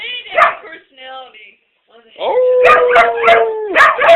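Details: Pet dog singing and sneezing indoors: short harmonic whines, then a long steady droning tone held for over a second while sharp broadband sneeze-like bursts repeat about every half second, with possible human voice.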